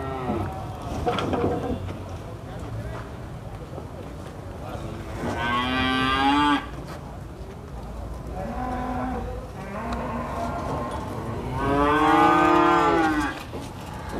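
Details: Cattle at the Prambanan cattle market in Indonesia, where animals are being unloaded from trucks. Three drawn-out, deep harmonic moos, the last the longest and loudest, separated by pauses, over a steady murmur of market crowd noise.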